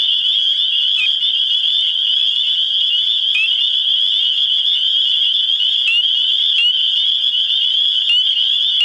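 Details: A dense spring mating chorus of spring peepers (Pseudacris crucifer) in New Hampshire, their high, shrill peeps blending into one continuous ringing wall of sound.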